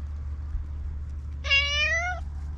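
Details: Stray black cat utters one clear meow lasting under a second, bright stacked harmonics gently rising in pitch, against a quiet low hum.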